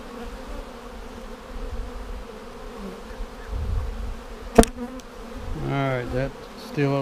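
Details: Honey bee colony seven days after a vertical split, inspected for queen cells in March 2019: continuous low buzzing hum, broken by a sharp knock midway and a man's voice near the end.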